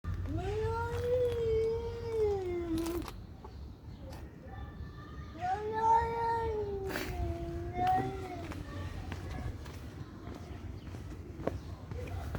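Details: Cats fighting, giving two long, drawn-out wavering howls, each about three seconds, rising slightly and then sagging, with a low steady background rumble between them.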